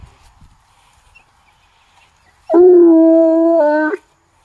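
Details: Bluetick Coonhound in woodland, trailing a scent up to a tree. After quiet, a single held bay of about a second and a half rings out steady, then steps up in pitch just before it ends.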